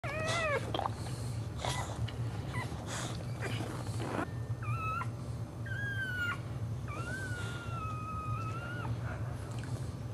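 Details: Pregnant Boxer named JuneBug, indoors, whelping the second of her four puppies standing up, in a shallow box of green cushions on the floor. High, bending whine-like cries, several short and one longer drawn-out tone, over a steady low hum.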